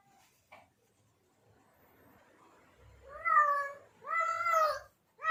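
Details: Male domestic cat in heat calling to draw in females: after a quiet stretch with a brief click, two loud, drawn-out wailing meows and the start of a third.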